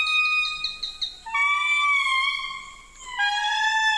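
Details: Endangered indri lemurs, found only on this island, answer a guide's playback of their song with loud, piercing, wailing notes: long tones sliding between pitches, with rich overtones.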